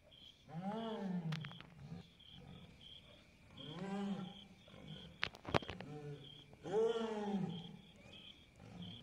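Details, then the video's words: A jaguar in Goiás, Brazil, gives its deep, hoarse roaring grunts that swell and fade, repeated about every three seconds. "O esturro da onça pintada Goiás"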